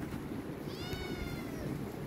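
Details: Himalayan cat named Pinky asking for food, giving a single faint harmonic meow that rises then falls, over steady low background rumble.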